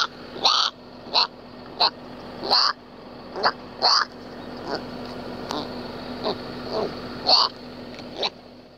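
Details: A young collared peccary in Brazil, crying because it cannot find its mother, gives repeated shrill, squealing cries, each a short rising burst.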